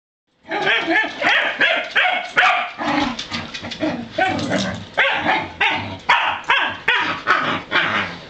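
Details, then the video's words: Pembroke Welsh Corgis, three unrelated male farm dogs, being taken outside to play; rapid, sharp barks repeated about two or three per second, bright and high, with short gaps between bursts. "Time to Take the Corgi Dogs Out"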